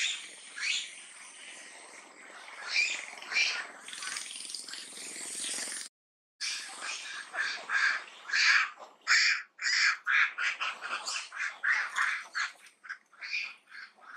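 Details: At Angkor near Siem Reap, Cambodia, the monkey Duchess shouts loudly as an enemy comes near. A dense run of harsh, grating screams follows a brief pause halfway through. The calls then come in quick, choppy bursts of irregular rhythm.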